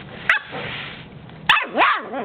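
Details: A Puggle puppy, playing and hiding from the camera under a coffee table indoors, gives a sharp yip, then a bent, rising-and-falling whining bark with a second shorter one, after brief clicks.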